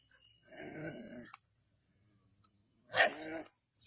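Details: Native dogs at Keezhadi hunting a snake: a rough, low harmonic bark-growl lasting under a second, then a short pause and a sharper, louder bark, with a steady high electronic whine throughout.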